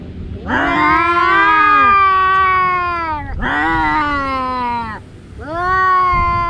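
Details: Two domestic cats, brothers that fight every day, yowling during a fight: long drawn-out harmonic wails that rise then sag, three calls with short gaps, the last cut off.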